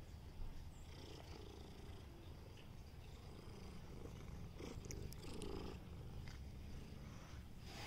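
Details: Meatloaf, a cat, purring continuously: a deep, even rumble with a soft pulsing texture that holds for the whole stretch, plus faint rustling and light handling noises over it.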